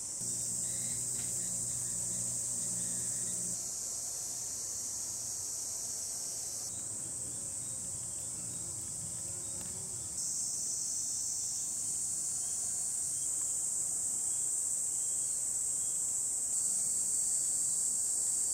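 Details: Cicadas drone in a steady, high, hissing buzz that barely lets up, on a hot sunny July 2021 day in the countryside of Hiroshima Prefecture, Japan.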